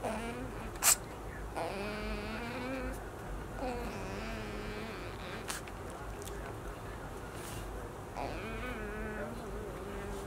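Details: A baby otter, woken while still sleepy, gives drawn-out, nasal, buzzy fussing and then angry whining cries in several bouts, each a second or so long, with faint rustling between, before sulking back to sleep.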